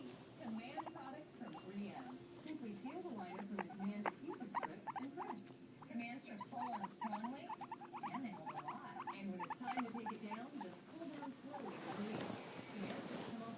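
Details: Two guinea pigs (Cavia porcellus) keep up a busy stream of short squeaky chirps and rising whistles.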